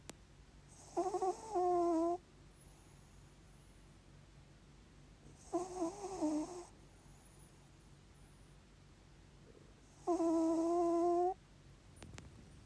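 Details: Sleeping Maltipoo puppy snoring indoors: three whistling, harmonic snores, each about a second long, spaced roughly four to five seconds apart over a quiet room background.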